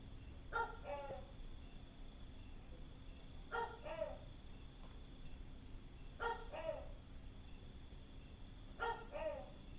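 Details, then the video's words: A gecko near Khao Lak, Thailand, recorded late in the evening, gives loud, barking two-part calls, each a harsh first note then a lower one, repeated about every three seconds over a steady night hum. "was sind das für Tier Rufe?? Frosch, Kröte, Vogel, Nein, ein GECKO"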